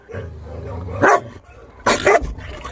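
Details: Chow Chow named Maike during a dog-training session on arrival: a low rumbling growl gives way to two sharp, harsh barks spaced under a second apart, with little else around.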